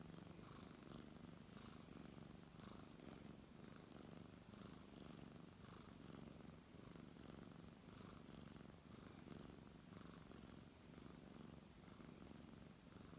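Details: Brown tabby cat, being stroked, keeps up a long steady purr: a deep buzzing drone with rhythmic louder pulses on each breath, quiet indoor background.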